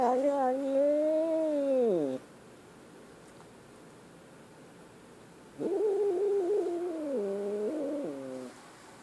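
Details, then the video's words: Scared kitten with a two-second arching wail that swells and falls off, then after a silent pause a second wavering, stepped cry of about three seconds that drops in pitch near its end. "Scared kitten"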